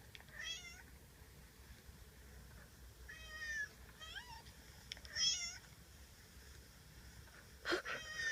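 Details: Domestic cat meowing repeatedly, high wavering meows in spaced bursts every couple of seconds, some rising then falling, with a soft background hiss and a sharp knock near the end.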